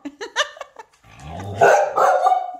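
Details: Theo, a hungry Samoyed indoors demanding food and pressing his talking buttons, gives a few short sharp yips, then a longer, wavering, grumbling woo-woo vocal that rises and falls, answered by a person repeating that food comes later.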